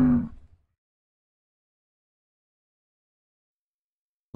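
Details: A muskox gives one short, deep, rough grunting bellow lasting about half a second, followed by silence.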